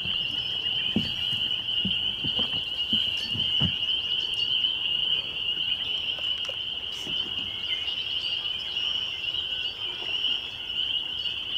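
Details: A May evening chorus of spring peepers at Laurel Creek Conservation Area on the northwest edge of Waterloo, Ontario, in 2021: countless shrill peeps merge into one continuous high ringing drone, with a few soft low knocks early on.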